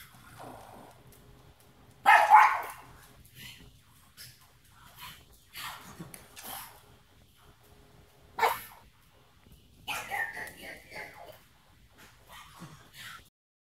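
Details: Watch dogs barking at a distance: a loud bark, scattered fainter barks, another sharp bark near the middle, then a short rasping series.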